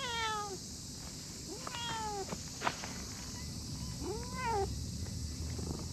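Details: Chubby brown-and-white stray cat lying on cool moss in a park gives three clear, falling meows, the last one rising then dropping, over a steady background hiss.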